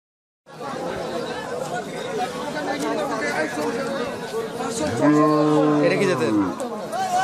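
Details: Cow of an improved Pakistani breed kept with her calf, said to give 10 litres of milk a day, recorded 21 February 2018; a rising then falling harmonic moo near the end, over steady chatter of people talking.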